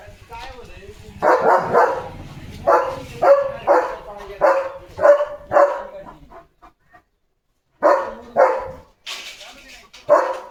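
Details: Leo, a German Shepherd, on an evening walk at a farm at sunset, watching a tractor. Loud harmonic barks in quick runs of about two per second, a pause, then more barks. A man's voice talks alongside.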